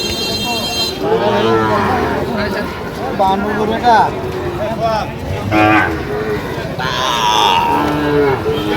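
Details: Sahiwal bull calves at a cattle market where a farmer from Sylhet is buying, 8 October 2025: a low, drawn-out moo with rising and falling harmonics, over steady market chatter, men talking and a faint vehicle horn.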